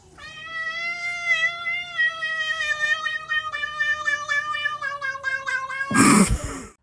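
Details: Cat giving one long drawn-out meow of about six seconds. It is steady and wavering, with a slight tremble, and ends in a burst of rustling noise.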